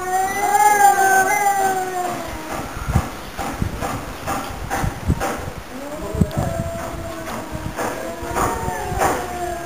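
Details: Two pet cats, Mr. Brown and Mr. Black, yowl together in a duet. Long, drawn-out harmonic howls waver and bend early on, then rise again near the end, broken by repeated sharp clicks and thumps.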